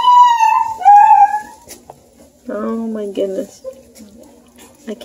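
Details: Playful Bluetick Coonhound pups near Kingston, Ontario, Canada, alongside a Redbone buddy: two clear, falling whines open, followed by a woman's voice and faint shuffling.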